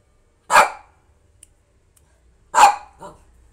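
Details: A female Lhasa Apso barks angrily because she wants to go out for a walk: two sharp, mid-pitched barks about two seconds apart.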